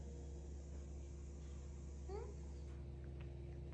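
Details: Indoor pet cat gives one brief rising, chirp-like meow about halfway through. Underneath is a steady low electrical hum, and soft speech is heard around the call.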